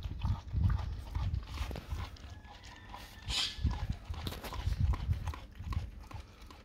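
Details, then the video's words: Raw cow tongue being eaten by a dog, heard as heavy, low smacking chews in uneven bursts, a brief hissy scrape midway, then more loud gnawing thumps. "dog eat raw Cow tongue"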